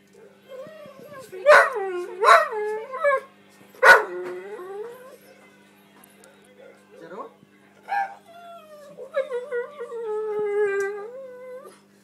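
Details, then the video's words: Three-year-old female Alaskan Malamute crying while waiting for her dinner: loud, wavering high whines in quick bursts early on, then softer drawn-out falling whimpers near the end, with a person briefly asking about dinner. "Alaskan Malamute Crying for her Dinner"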